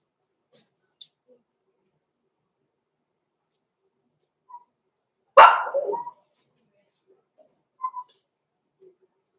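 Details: Six-week-old blenheim Cavalier King Charles Spaniel puppies, Roman and Blue, in an indoor puppy pen. A single sharp, short puppy bark breaks near silence, with a few faint small squeaks and snuffles scattered before and after.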